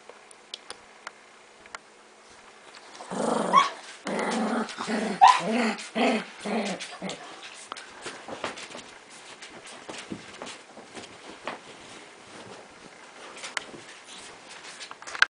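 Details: Miniature Pinscher dog, quiet at first, then a run of about six rapid barks and yaps over four seconds, followed by faint clicks and low background sounds.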